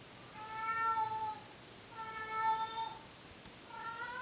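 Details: Pet cats Monkey and Dipper, filmed indoors in older footage, give two long, even yowls about a second apart, followed by the start of a third, rising cry; background otherwise calm.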